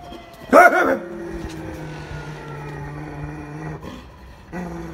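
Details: German Shepherd dog barking, recorded 4 April 2018: one loud, sharp bark near the start, followed by quieter whining tones and a steady low background hum.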